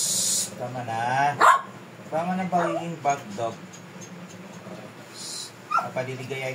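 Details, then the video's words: A Shih Tzu described as fierce voices protest during grooming with a sharp bark, wavering whining yelps and another bark near the end. Clipper buzz and a person's speech are heard throughout. "PAANO IGROOM ANG ASONG MATAPANG AT PAAMUHIN.?"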